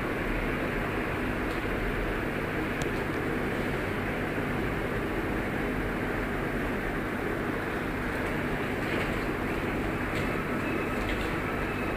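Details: A loud, steady engine-like rumble fills the whole stretch with no animal voice.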